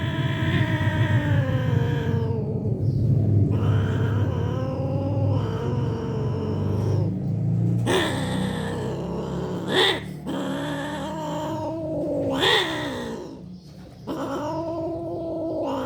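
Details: Mating cats caterwauling: long, wavering, harmonic yowls that slide up and down in pitch, with sharper, rising cries near the middle and end, over a low background rumble.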